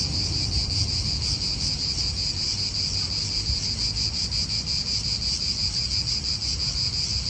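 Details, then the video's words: Cicadas calling in an Italian park, a continuous high buzzing band with a faint pulsing texture throughout, wind and low rumble underneath. "italian park ASMR Cicadas wind real atmosphere in an Italian park birds"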